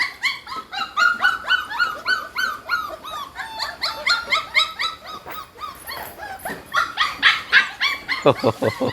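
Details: Several hungry Pit Bull puppies whine after nursing from their mother Namtan. Rapid, high-pitched yelping cries tumble over one another, steady and insistent, rising and falling slightly. Brief laughter is heard near the end.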